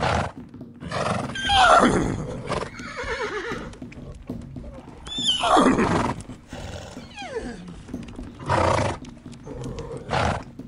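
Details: Two horses fighting: loud, harsh squealing neighs with a falling shaky pitch around two seconds and again near five and a half seconds, with snorts, grunts and thudding movement between them.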